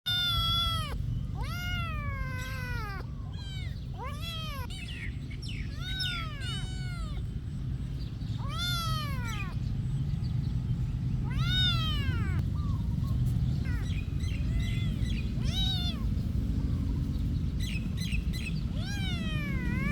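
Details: Cats at a monastery meowing repeatedly, many arching, harmonic-rich calls rising then falling, several overlapping and coming every second or two, over a steady low rumble of background noise.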